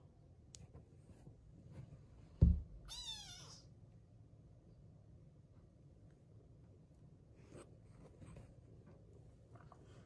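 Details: American Curl cat meeting an Australian Shepherd indoors; one brief high meow with stacked harmonics, falling then rising, after a loud thump, followed by quiet room noise and faint clicks.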